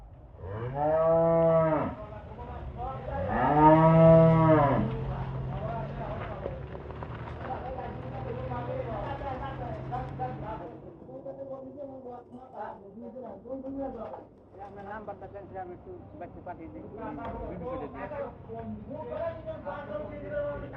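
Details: Healthy Holstein Friesian cow on a dairy farm gives two long, loud, harmonic moos that rise then fall, around one and four seconds in, followed by people talking and low background hum.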